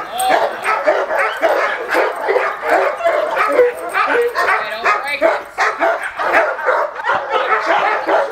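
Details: Male Cane Corso in attack training, barking in a fast, relentless string of harsh, mid-pitched barks about three per second, run together with no real pause across the whole stretch.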